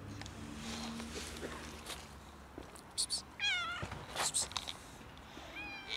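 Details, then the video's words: Outdoor cat struggling in freezing winter cold, needing warmth rather than food: a high wavering meow around 3.4 seconds with short broken calls near 3 and 4.3 seconds and another meow rising at the end, over steady low background rumble. "Cat is freezing in the Winter cold and needs warmth - not food"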